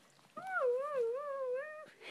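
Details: Siberian Husky howling indoors in reply to its owner saying "I love you", a single smooth wavering howl about a second and a half long, gently rising and falling in pitch with clear overtones.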